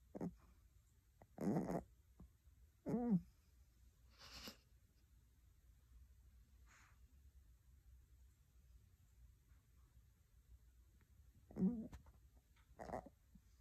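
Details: Uni, a Pomeranian puppy born July 13th, 2019, snoring while asleep: irregular rough, snorting breaths in short bursts, a few with a faint nasal whistle, separated by long quiet gaps in a hushed room.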